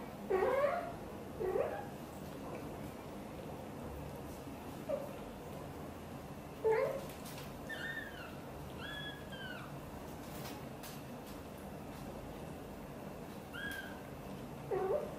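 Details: Blue golden British Shorthair mother Xaxa talks to her tiny kitten Piano, giving a run of short rising meows spaced a second or more apart, while higher thin bending chirps sound in the middle, over a steady low room hum.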